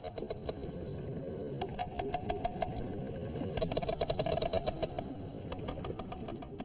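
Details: Sharp, broadband sperm whale clicks, irregular and overlapping, seemingly from several whales at once, recorded at depth while a calf accompanies its mother on a dive.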